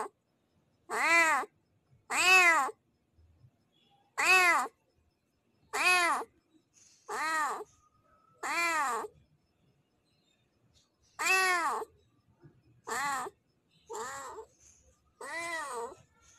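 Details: Tomcat calling to a female in heat with about eleven short, clear meows, delivered in a steady series with a longer pause midway before the calls resume and fade slightly.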